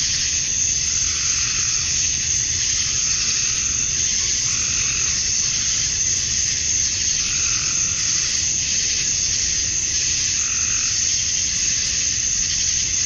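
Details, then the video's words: Male cicadas in a summer dusk chorus in Georgia, USA, calling to attract females: steady shrill buzzing with slow rhythmic surges every two seconds or so, faint low hum beneath. "Cicadas at Dusk, Summer Night"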